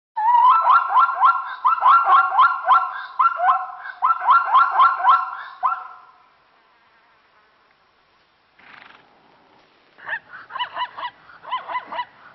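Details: Burchell's zebra in Kruger National Park, South Africa, giving loud barking calls: rapid runs of sharp, harmonic-rich yelps grouped in bursts of five or six, a pause near the middle, then a quieter series resuming at the end.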